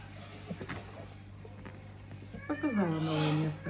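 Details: Mother cat with her kittens, indoors in a house shared with many pets and exotic animals; a drawn-out meow that falls in pitch, then holds steady near the end, after a stretch of Russian speech from people nearby.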